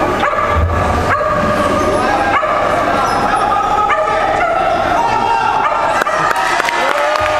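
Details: Shetland Sheepdogs, sable merle and blue merle, at the 2012 Americas and Caribbean agility championship; repeated sharp high barks and yips over constant crowd chatter and speech.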